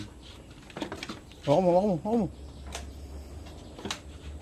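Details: A farmed goat is being given iron; it gives one wavering, nasal bleat of about a second, then a shorter second bleat, with soft clicks and handling noises around it.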